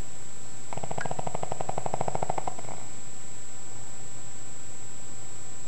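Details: Pug asleep, giving one short snore of about two seconds, a fast vibrating rattle that cuts off abruptly into silence.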